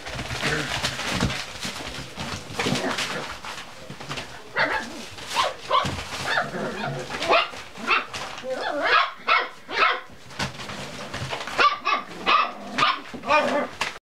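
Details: Cocker Spaniel puppies playing in a kitchen, a jumble of clatter and scuffling giving way to a run of short, high, whiny yelps and yips repeated roughly every half second, with people talking.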